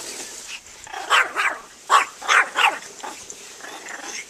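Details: Pet dog Banjo, upset by the lawnmower, gives a string of about five hoarse, clipped barks in quick succession over steady outdoor background noise.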